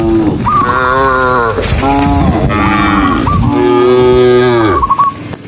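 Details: Dozens of cows running along a rural road moo in long, overlapping, harmonic-rich calls, one after another.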